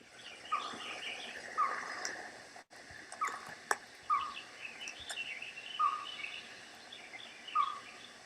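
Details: Merriam's chipmunk, recorded by day in April near the Mount Baden-Powell trailhead in the San Gabriel Mountains, California, repeats short, hollow single notes every one to two seconds at an uneven pace, easily mistaken for a small owl; a finch twitters behind.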